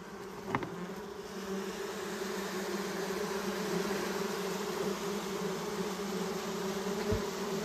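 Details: A dense, steady hum of many wild honey bees buzzing together at their hive in Balochistan.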